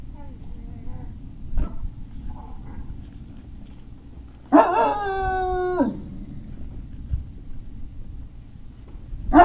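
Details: A Great Dane puppy at Puppy Hill, 03-05-2019, lets out a single drawn-out, slightly falling howling whine lasting over a second, preceded by faint soft whimpers and ending with the start of another sharp call.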